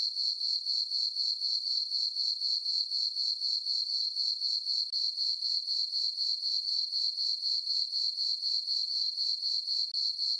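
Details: Night chorus of crickets in a summer meadow on a farm, full moon overhead: a bright, sustained high note broken into steady quick beats, around four a second, otherwise quiet.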